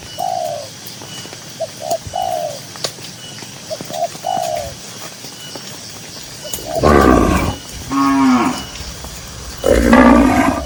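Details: Dozens of cows walking leisurely through a green pasture; soft dove-like coos repeat for several seconds, then three loud, rough moos follow in quick succession, the last one rising and strained.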